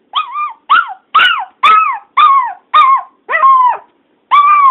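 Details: Domestic dog barking and howling when a missed family member is out of sight; eight short, whining bark-howls that rise then sag in pitch, delivered in a quick, even series with a brief pause before the last.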